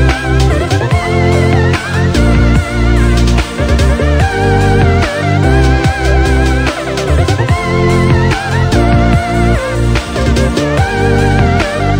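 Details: Electronic music with plucked guitar and a heavy, steady bass beat plays throughout, with no animal sounds.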